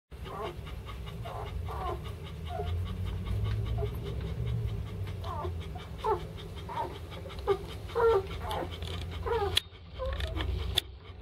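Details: German Shepherd puppies from a kennel litter of five, three males and two females, giving short, high, scattered whimpers and squeaks over a steady low rumble, with faint panting and a sharp knock near the end.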